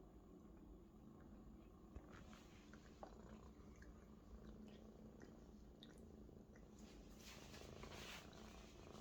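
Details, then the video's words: Maine Coon kitten purring loudly while lying happy and comfortable on a large adult Maine Coon indoors; a soft, steady low rumbling purr runs throughout, with light rustling and small clicks over it. "A Big Friend Is the Best Bed for a Purring Kitten"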